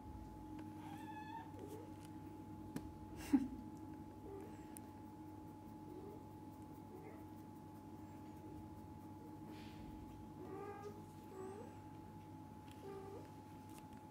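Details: Mother cat with kittens, the father cat staying close; several soft, thin mews spaced across the recording, clustered toward the end, over a constant electrical hum and light rustling.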